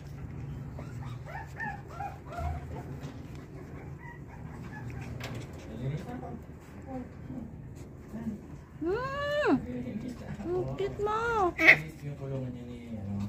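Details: Pomeranians yelping in a cluster of high, arching cries that sweep up then down, following softer scattered whimpers, with faint voices and steady low hum behind.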